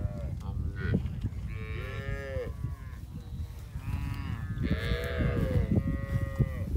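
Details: Cows with their calves eating together in a field produce overlapping moos, some higher calf-like calls with curving pitch, repeated several times over a steady low background rumble.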